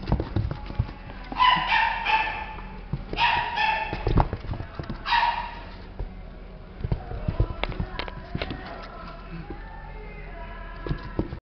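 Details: A small male Toy Poodle × Maltese mixed-breed puppy gives a few high, tonal whining yips, then settles to quieter shuffling sounds.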